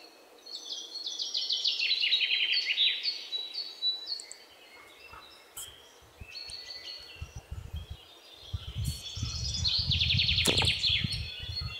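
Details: Indian palm squirrel (Sinhala lēnā) giving two bursts of quick, high, descending chirps, the first early and the second near the end, separated by quieter chirping and low rumbling handling noise.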